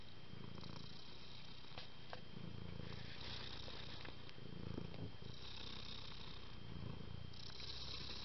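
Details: Calm domestic cat giving a low continuous purr, rumbling pulses in slow breathing cycles with soft hissing breaths overlaid, a few light clicks and a constant faint hum.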